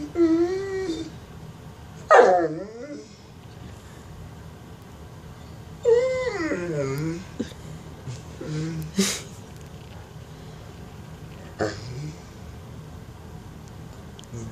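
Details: Mastiff begging for bacon indoors, giving drawn-out, wavering whines that bend down in pitch, in several bursts separated by pauses, with a person speaking to it nearby.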